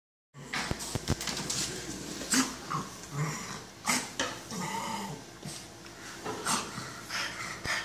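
A French Bulldog snorts and grunts in short, breathy bursts, with snuffling breaths between them.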